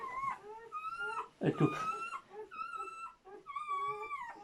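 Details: Newborn German Shepherd pups from a litter of seven cry while their mother gives birth: drawn-out, wavering whines that slide downward, interrupted by a short, low thudding bump in the middle.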